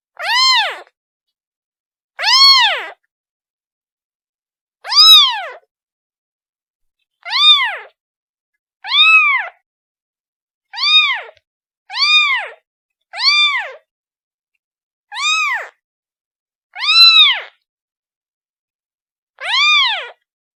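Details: Kitten crying for its mother, eleven short arching meows repeated roughly every one to two seconds, steady in pitch and loudness, harmonic-rich, with nothing else audible.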